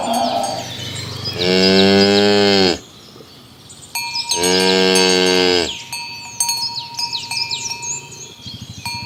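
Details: Tame cows herded in the morning toward the pen along village roads give two long, deep, harmonic moos, each about one and a half seconds, separated by a pause, while cowbells clink and ring steadily throughout.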